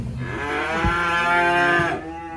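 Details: Cattle bellowing during unloading from a truck at a rural pen while one animal lies down aboard, giving a loud, sustained two-second moo with rich overtones that cuts off abruptly, followed by quiet.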